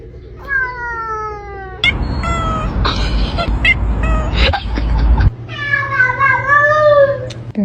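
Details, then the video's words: Domestic cat with a long falling meow, then a stretch of loud clattering and rumbling noise with a person talking, followed by a longer wavering meow that rises and falls before ending. "Talking Cats"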